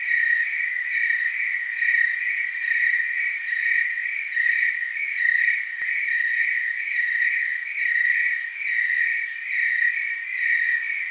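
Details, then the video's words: Willamette Valley, Oregon tree cricket chorus: unbroken shrill trilling tone with higher overtones, soft rhythmic waxing and waning, a single brief click near the middle. "Tree cricket chorus"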